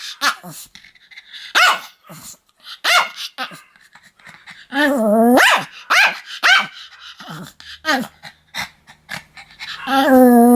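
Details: Barking Pomeranian, its sharp yaps scattered irregularly, some higher whining yips among them, ending in a drawn-out, wavering whine-growl.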